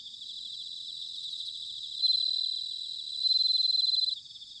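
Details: Bell crickets singing in autumn at Sanuki, Chiba Prefecture, Japan: two loud, clear, rapidly pulsed ringing trills rise above a steady shimmering background chorus of crickets, the second lasting about a second.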